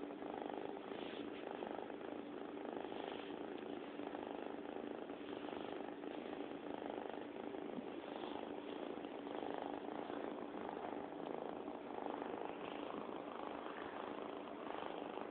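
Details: A long unbroken purr from Bobby, a domestic cat, heard close and indoors as a constant low vibrating rumble with a faint steady hum beneath.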